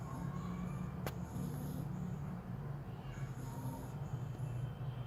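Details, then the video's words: A little French Bulldog asleep and snoring: a steady low rumbling drone held throughout, with faint high tones above and one sharp click near the start. "little frenchie snoring"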